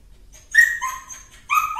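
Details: Two high, ringing yaps from a cute dog, about one second apart, each with a bright, slightly falling tone.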